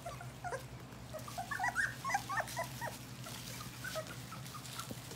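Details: Four-week-old English Golden Retriever puppies give short, high whimpers and squeaks, scattered irregularly and sometimes overlapping, over a steady low hum.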